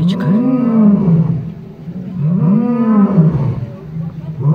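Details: Lions calling in their evening roll call at Taigan park, Crimea; two long, deep, arching moans follow each other, each swelling then sinking.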